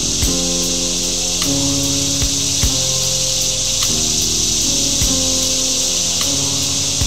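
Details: Cicadas drone in a steady, high, hissing buzz that never breaks, over soft sustained musical tones with occasional low thumps, in summer at Duke Island Park on 8/2/2011.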